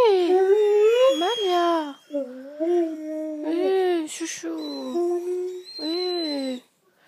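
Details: A female Great Dane named Malia vocalising when her owner departs, a string of moaning, talk-like howled phrases, each bending up and down in pitch, separated by brief pauses, fading at the end.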